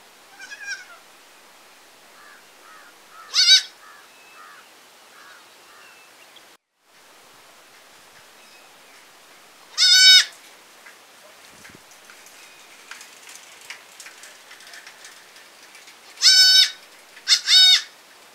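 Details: Baby goat in a village, calling with spaced harmonic bleats, the last two close together, amid soft background rustling and faint distant sounds.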